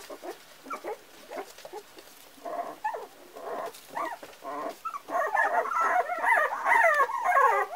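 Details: Four-week-old Parson Russell Terrier puppies whimpering and squealing in short, wavering bursts, sparse at first, then a denser overlapping chorus of rising and falling whines in the last three seconds.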